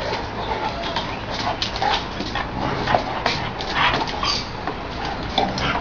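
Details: Great Dane and American Staffordshire terrier, Gaetano and Madison, playing together; rough, scuffling bursts and short yips and growls come in quick irregular spurts over a steady hissing background.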